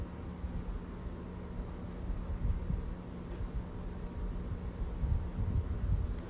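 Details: Low steady hum and faint rumbling room noise, with a few soft clicks and no animal voice.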